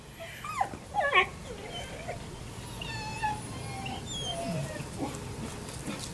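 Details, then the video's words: Labrador Retriever puppies at seven weeks old give a few short, high whining whimpers and yips with sliding pitch, clustered early on, followed by fainter scattered squeaks over a soft background hiss. "Labrador Retriever Puppies O6 week 7"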